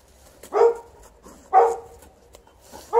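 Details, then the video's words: Outdoor barking from an Alaskan Malamute at play with a Golden Retriever, not coming in: two deep, full barks about one second apart, a third starting at the end, with light rustling between. "Digging, rolling, barking, not coming in - Alaskan Malamute & Golden Retriever outside"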